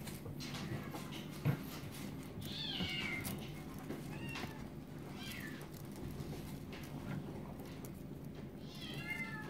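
A Maine Coon kitten gives thin, high meows, each sliding downward, spaced a few seconds apart.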